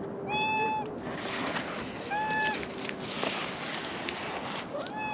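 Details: A wary pair of ginger tabby cats comes warily closer to be petted. Three clear, tonal meows come roughly two seconds apart over a constant outdoor background hiss.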